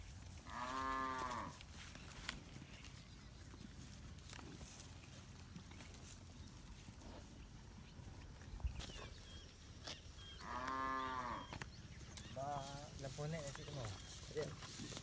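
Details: Village cattle roaming and grazing among a large herd in a green rice field, calling back and forth: two long, deep, harmonic moos about ten seconds apart, with shorter tonal calls and outdoor rustling between them.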